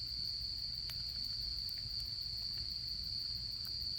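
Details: Beside a campfire in autumn, insects keep up an even high-pitched trill, steady throughout, while small crackles and pops of burning wood flicker over it.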